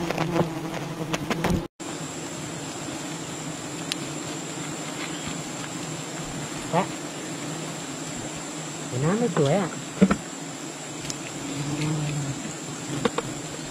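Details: Wild bee colony disturbed during honey hunting, a dense, steady droning buzz filling the whole recording with a layered low hum, a brief dropout near two seconds, and a few human voices rising over the swarm around nine to ten seconds.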